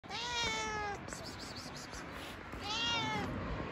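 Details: Stray cat living on the street, said to have Down syndrome, gives two drawn-out, clear meows, the first about a second long and the second shorter, separated by a quiet gap with faint outdoor background noise.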